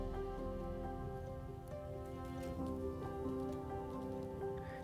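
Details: Soft sustained instrumental music with a faint pattering like rain and no animal calls.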